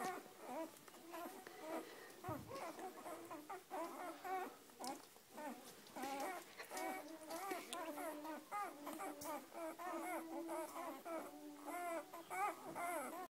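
Several Weimaraner puppies whine almost without pause, their thin cries wavering up and down in pitch. The squeaky whimpers overlap and come in quick bursts, with short soft yelps among them.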